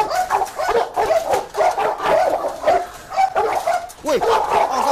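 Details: Agitated dog barking during Musso's angry encounter with a pitbull, dense overlapping barks and rough growling yelps almost without pause, human voices mixed in beneath the din.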